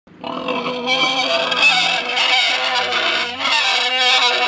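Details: Tamworth sow in a paddock complaining loudly, kept from her six-week-old piglets after weaning about 36 hours earlier and with her boar nearby; a sustained, harsh, strained squeal begins after a brief pause and holds steady without break.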